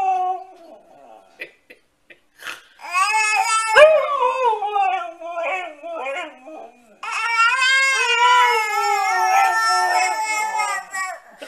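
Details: Siberian Husky giving drawn-out, wavering howl-like vocalizations with rich harmonics, pitch sliding up and down in long phrases, a brief rising yelp near the middle, short gaps between bursts, indoors.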